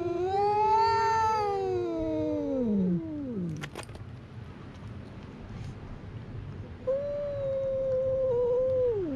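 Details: Cats fighting at a fishing port in Japan, recorded on a GoPro during a walk: a long wavering yowl sliding downward, then a brief pause and a second drawn-out, steady howl that drops at the end.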